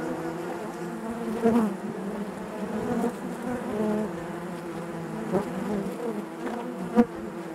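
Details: Steady droning of honey bees within the hive, many wings buzzing together in a constant hum, broken by short louder buzzes of nearby bees around 1.5, 3 and 7 seconds.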